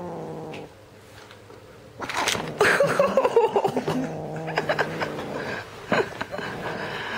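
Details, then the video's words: Red point Siamese kitten Teddy, tricked out of his toy, gives a steady low growl, broken midway by loud rustling and knocking from the struggle, then the growl resumes. "Red point Siamese Kitten, furroscious !"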